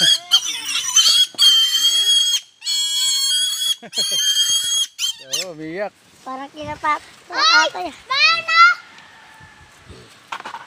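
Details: Native pig, called a fat, noisy little piggy, giving high shrill harmonic squeals in several loud bursts over the first five seconds, followed by people chatting in Tagalog about stroking its neck.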